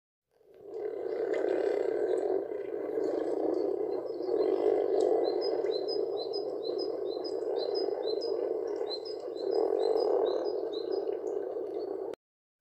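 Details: Common frogs in Poland, brown frogs that keep to water only during breeding and otherwise live on meadows, making a steady, low, grumbling purr from many callers at once, with faint high bird chirps above it.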